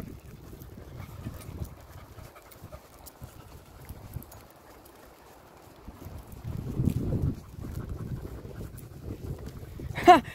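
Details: Dog panting: soft, breathy rushes of noise repeating steadily, a louder stretch of heavier breaths in the middle, and a brief sharp clatter at the very end.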